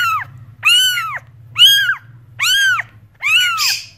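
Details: Cat meowing: five short, high-pitched arched meows, each rising then falling, roughly half a second long and spaced about a second apart, over a steady low hum in the background.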